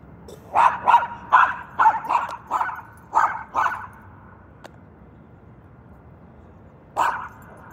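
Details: A tethered pet dog barking at cars during its owner's morning exercise: a quick burst of about eight sharp, mid-pitched barks over four seconds, a pause, then one more bark.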